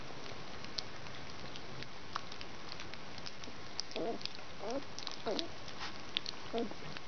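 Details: Collie puppies of the E litter from Collies from the Sunshine at their first real meal on 30 January 2013; a handful of short, squeaky whimpers with falling pitch cluster between four and seven seconds over steady hiss and faint clicks.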